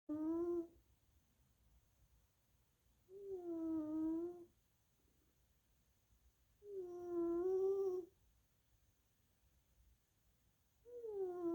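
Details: Little Missy, a sleeping tuxedo mama cat napping indoors, snores with a leftover wheeze from past sinusitis and bronchitis: tonal, slightly wavering whistled breaths about a second long, repeating roughly every three and a half seconds in a quiet room.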